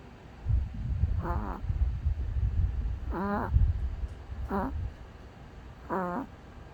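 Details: Snoring of a sleeping dog: four short whistling, warbling nasal squeaks spaced about one and a half seconds apart, set over a low rumbling, snorting breath.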